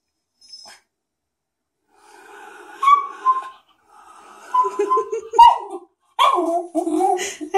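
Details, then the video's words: Cairn Terrier upset by a foot bath in a bathroom: several wavering, tonal whines and whimpers in a row, some breathy, followed by a person speaking calmly to reassure the dog. "Cairn Terrier is upset by a foot bath"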